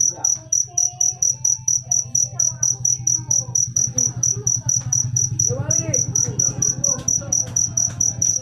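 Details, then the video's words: Jangkrik manis cricket chirping in bright, regular high pulses, a low steady hum below and a brief swooping whistle-like sound and faint voices midway. "Full suara Jangkrik manis. Suara merdu"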